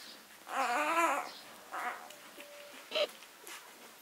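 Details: Leonberger puppy from a six-day-old litter gives a drawn-out wavering whine, like a small cry, followed by a shorter squeak and a brief yelp, with soft rustling beneath.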